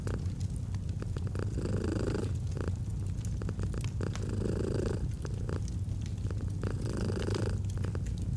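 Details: Gentle, continuous feline purring, a low vibrating drone with brighter inhale-exhale pulses, accompanied by intermittent wood crackle from a fire.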